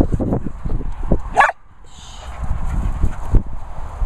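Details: Holly Berry, a Springer Spaniel, being vocal: low, rumbling grumbles and short moans, broken by one sharp, higher yelp near the middle, then more low grumbling; a person's voice is heard briefly just before.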